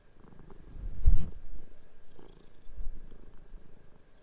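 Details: Pet cat playing on a bed as sheets are changed at home; a throaty low purr rises to a loud peak at one second, then rolls on more softly with light bedding rustles.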